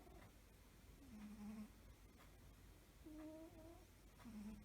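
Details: Cat asleep and snoring: three short, quiet, humming snore breaths with a flat nasal tone, spaced about one to two seconds apart over low background hum.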